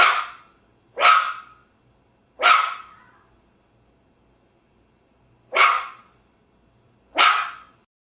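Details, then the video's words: German Shepherd dog giving five loud, explosive single barks, spaced one to three seconds apart, each ending in a short echoing tail, with no other sounds. "German Shepherd dog barking"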